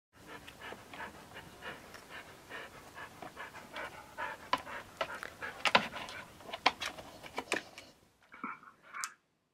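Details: Max, a 12-year-old husky described as old for a dog, who likes to play with balls but is too afraid to jump out; quick breathy panting pulses, uneven, with sharper clicks midway and a pause near the end.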